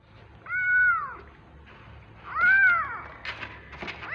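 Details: Hungry domestic kittens awaiting their turn at bottle feeding, calling with two loud arched meows about two seconds apart, each rising then falling with clear harmonics, followed by softer rustling and scuffling.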